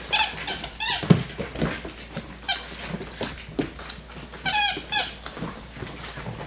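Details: Six-week-old yellow and black Labrador Retriever puppies growl and squeak in short, high bursts as they run and tussle in play.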